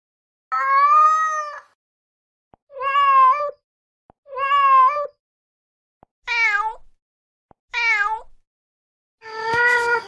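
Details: Calling mother cat gives six loud meows: three long level ones, two short arched cries dropping at the end, and a final harsh, noisy wail, with small clicks between.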